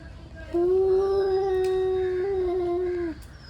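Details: Angry male cats warming up for a fight: a single steady, drawn-out yowl held level for about two and a half seconds, rich in overtones, then cut off abruptly over a quiet background.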